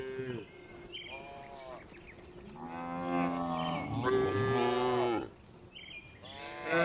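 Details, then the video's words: Several cattle in a spacious livestock barn, part of dozens of tame cows resting and eating calmly, with overlapping moos. Long, rich lowing swells in the middle, and shorter calls come before and after it. "Calm Cattle Sounds"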